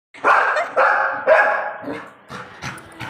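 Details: Young Labrador Retriever seeing herself in a mirror for the first time, barking at her reflection: three loud, harsh barks in quick succession, then softer trailing barks, in a small room.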